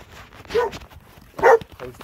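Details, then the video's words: A pair of dogs in Alabama; two rough, husky barks about a second apart, with a fainter echoing yelp after the second one. "Alabama dogs"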